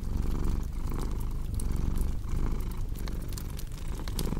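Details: Domestic cat purring steadily, a low continuous rumble that swells and eases with each breath, under the sharp pops and crackles of a cozy fireplace.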